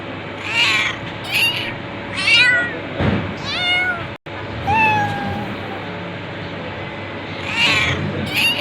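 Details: Cat meowing again and again, curved whining cries about a second apart, with a thud-like noise midway and a brief silent break.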